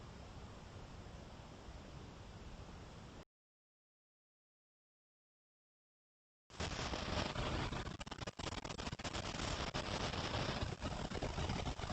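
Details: Broadband hiss, then three seconds of total silence, then louder, rougher rumbling noise with crackly bursts, and no animal calls anywhere.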